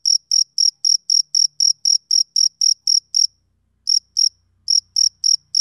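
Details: A male cricket chirps on a summer evening, sharp high pulses in a quick regular series that stops briefly, resumes, pauses again, then continues; a faint low hum underneath.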